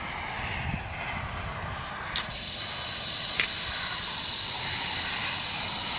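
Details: Rattlesnake recorded on July 1, 2018: after two quiet seconds a steady, dry, high-pitched buzzing rattle switches on abruptly and holds unbroken to the end, with faint low rumble underneath.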